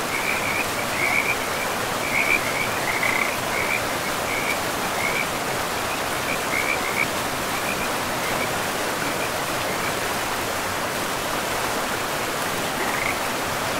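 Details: Frogs calling beside a forest river: short chattering trills come in quick succession for the first seven seconds, pause, then return briefly near the end, all above a steady roar of running water.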